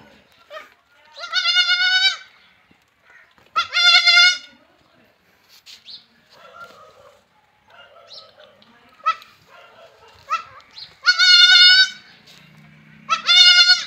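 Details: Young goat kids at play, with loud, wavering, nasal bleats that come in bursts about every few seconds, plus quieter scuffling and soft sounds in between.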